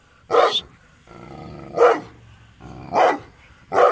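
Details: Gull Dong dog, a strong-willed breed, giving four short loud barks spaced about a second apart, with a low humming background between them.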